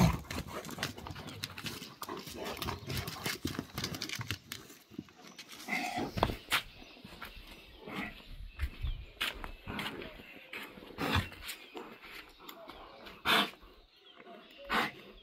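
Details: Gaddi dog, a Himalayan sheep dog, facing a Tibetan Mastiff: rough, dense growling and barking bursts run throughout, with sharper loud outbursts near six, thirteen and fourteen and a half seconds against steady outdoor background noise.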